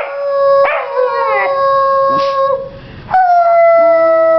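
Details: Honey the female Vizsla pup, newly finding her voice, gives long, steady, clear howls: a flat sustained tone, a short scoop upward, then a brief break before a second drawn-out howl.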